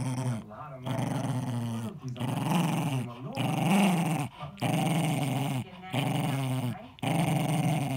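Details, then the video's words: Guarding his ball, Eddie, a 10-year-old Jack Russell, growls in a string of rasping, pulsing rumbles of about one second each, dipping and rising in pitch, broken by sharp breaths. "Jack Russell protects his ball"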